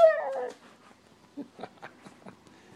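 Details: A 17-month-old female Siberian Husky gives a short, rich, wavering whine-like 'talk', apparently wanting to go outside, with a person's quieter voice after.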